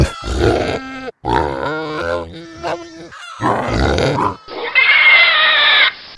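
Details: Pigs in a pigsty: rough grunts and nasal snorting calls in short bursts, then a sustained loud shrill squeal near the end.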